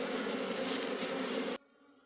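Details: Dense buzzing of a wild honey bee colony in the forest during a honey harvest, a loud steady hum with bands near a few hundred pitch, cutting off abruptly to quiet near the end.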